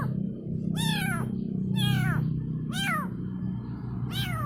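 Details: Kitten calling its mother with four loud, plaintive meows, each a rising-then-falling cry about a second apart, over a steady low hum.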